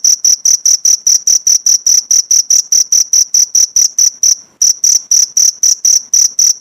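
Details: Shrill cricket chirps from a training recording for pleci birds, fast regular high pulses about four per second, broken by one brief pause near the middle before the same even rhythm resumes, with no other sounds.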